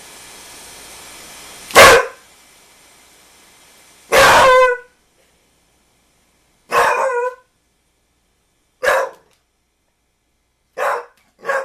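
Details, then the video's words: Pit Bull dog barking at a basketball: five loud, harsh single barks spaced about two seconds apart, each a brief burst with strong layered tones, separated by near silence. "PitBull Barking"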